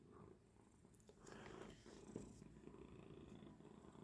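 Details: Domestic cat purring indoors at night after waking its owner; a steady, low rumbling purr with fine rhythmic pulsing throughout, with faint rustling in the background.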